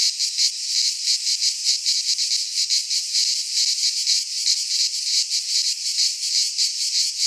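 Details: Midsummer cicada song from Greek pine woods: an unbroken high, hissing buzz that pulses rapidly and waxes and wanes in slow surges, nothing else audible.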